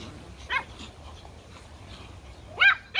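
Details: Pomeranian puppies, toy Poms, playing in a garden; two short high-pitched yips, one near the start and a sharper double yip near the end, with quiet background hum between.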